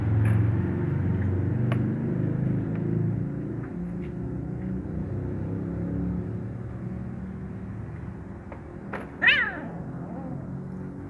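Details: Hungry kitten sharing food with a black male cat. After a long stretch of low humming rumble, a sharp clatter comes, then one short, strained, descending mewl near the end.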